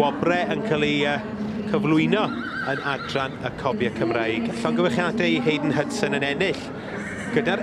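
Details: Welsh Cob fillies at a show; several quavering, wavering whinnies rise and fall in overlapping bursts over a loudspeaker voice, background music and crowd noise.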